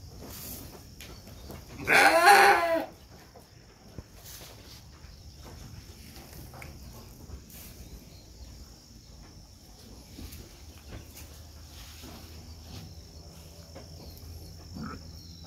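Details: Batur Merino sheep during lambing, when two lambs are born: a single short, harmonic bleat of under a second stands out early, followed by a long stretch of quiet background with faint clicks and a steady high hiss.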